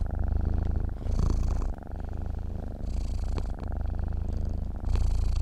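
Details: Sleeping domestic cat purring steadily, a low continuous rumble with breath cycles about every second or two, the inhale and exhale phases alternating in loudness with soft breathy hiss; quiet indoor setting.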